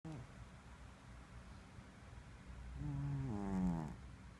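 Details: Pet cat snoring indoors: a quiet breathy background, then one drawn-out, tonal, wavering snore late in the breath cycle.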